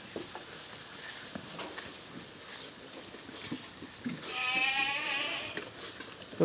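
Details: Black Bengal goats on a mother-goat farm in Pangsha, Rajbari District, fed grass under hot sun: one wavering, tremulous bleat lasting about a second and a half near the end, after faint clicks and rustling background noise.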